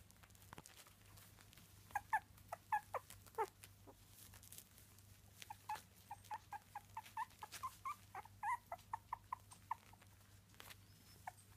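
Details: Three-week-old Miniature Dachshund puppies making short, high squeaky whimpers, scattered at first, then a quick run of repeated yips from about five seconds on, with a few faint clicks between them.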